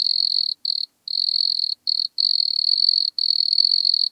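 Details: Wood cricket (Nemobius sylvestris) song recorded at Altenberg, Austria, on 9 August 2022: a soft, high, continuous purring trill broken by brief pauses.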